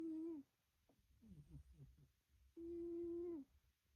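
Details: Domestic black cat snoring in its sleep indoors: a steady humming tone with overtones lasting about half a second, a pause with soft rough breath noise, then a longer level hum near three seconds trailing off with a slight downward bend.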